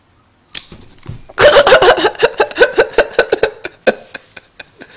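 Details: Female Welsh Corgi Betty Boop, indoors, barking in reaction to a lighter she hates: one sharp bark, then a rapid burst of loud, harsh, overlapping barks that slows into a dozen spaced yaps before fading.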